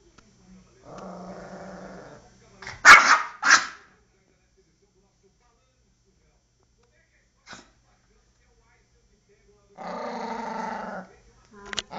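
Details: Poodle in a fierce, attacking mood: a drawn-out growl, two loud sharp barks, a long quiet gap, then another sustained growl and a final snap.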